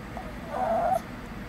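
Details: A Shih Tzu gives a brief, mid-pitched, wavering nasal whine, talking back to its owner; the whining returned after a lull and seems tied to wanting food while on a diet.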